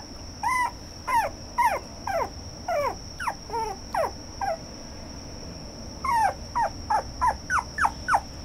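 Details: Red toy poodle producing repeated high, falling whining yelps about every half second, a brief pause, then a faster run of sharper yelps; a thin continuous electronic whine in the background.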